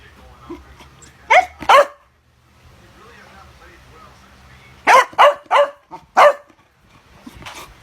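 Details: A Chow Chow dog barking in sharp, short bursts: a quick pair, a quiet gap, then a rapid volley of four or five clipped barks, each with a brief rising yelp-like tone inside.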